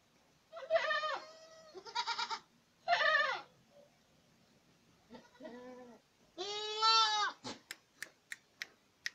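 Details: Several bleats from Boer goats at Acatlán de Osorio, Puebla: short rising-falling nasal cries in a loose series, then one long loud quavering bleat, followed by a run of sharp clicks or taps.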